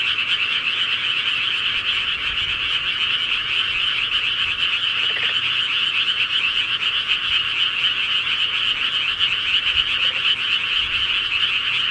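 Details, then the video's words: A rural night pond scene of countless frogs croaking together, the chorus steady and unbroken throughout, with a couple of short lower croaks standing out briefly. "시골개구리 소리"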